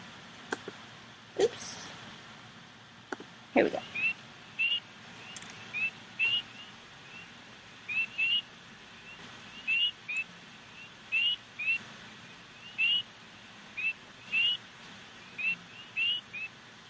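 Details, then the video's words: A male spring peeper at a pond in a Missouri wildlife area gives a single high, upslurred peep every second or two, at night. "so you can tell the timing of this spring peeper call he makes a little peep every couple of seconds"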